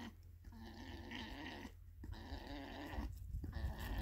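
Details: Stud male alpaca, borrowed for the summer, meeting another alpaca for the first time in years; steady droning, buzzy hum held in long stretches broken by short pauses, over a constant low wind rumble.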